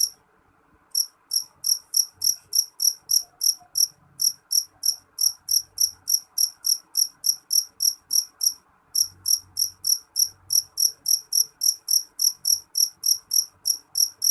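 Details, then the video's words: Jangkrik jeliteng cricket chirping shrilly: after a silent first second, piercing high pulses repeat about three times a second, with short breaks near five and nine seconds, over a quiet low murmur. "Suara jangkrik jeliteng nyaring"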